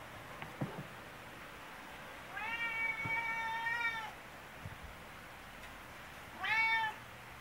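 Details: Affectionate tabby domestic cat that follows its owner around, meowing indoors: one long, level meow lasting nearly two seconds, then a short, higher meow after a pause, with faint knocks and room noise.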